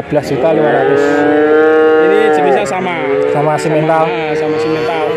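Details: Male calves at Grabag, Magelang, Indonesia, part of a purchase of 19 head. One long steady bawl lasts about two seconds, then further drawn-out moos follow, with faint voices behind.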